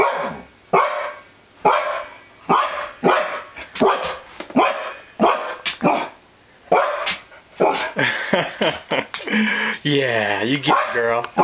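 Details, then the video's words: A female husky named Bristol, wary of an elk mount brought into the home, gives repeated loud barks about once a second, ending in a drawn-out howling whine. "Husky Wolf re-united with Elk mount"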